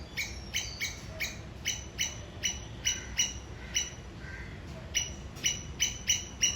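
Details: Sri Lankan squirrel calling and signalling towards its enemy: sharp, bright chipping notes repeated steadily about two to three times per second, each note short with a clear high overtone, over faint background hiss.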